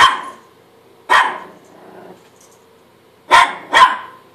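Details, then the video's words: A Chihuahua barks at his own reflection in a mirror, giving sharp high barks: one opening bark, another after a second, a low grumble, then two quick barks in close succession. "Chihuahua barking at himself in the mirror"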